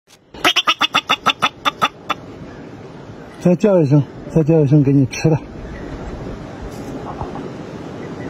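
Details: A bobak marmot (Marmota bobak) gives a quick run of sharp, repeated chirps, begging for food as it is coaxed to call before being fed.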